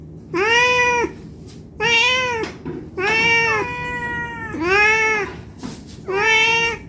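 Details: Hungry cat meowing to beg for food: five long harmonic meows, each near a second, arching slightly and repeated at irregular intervals over a quiet indoor hum.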